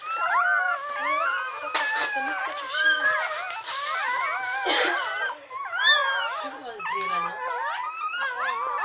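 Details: Newborn retriever puppies, nine in the litter, some an hour old and some only minutes, beside their mother Bella; a dense overlapping chorus of high, wavering whines and squeals, rising and falling continuously, with brief rustling bursts.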